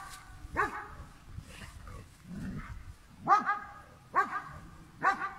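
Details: German Shepherd dog facing a cow, giving four loud, harsh barks spaced about a second apart after a short pause, with faint outdoor background noise and a low rumble between barks.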